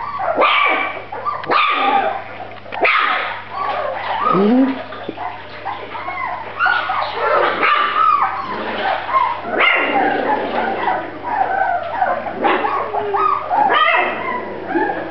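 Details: Litter of Grand Basset Griffon Vendéen puppies giving a busy, continuous chorus of high whining yips and squeals, many voices overlapping with short bursts and sliding whimpers throughout.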